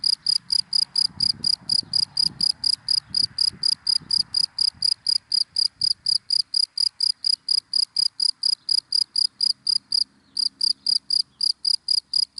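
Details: Cricket chirping in dry grass during the day, a steady train of shrill, evenly spaced pulses with a brief gap near ten seconds; faint low rumbles sound early on.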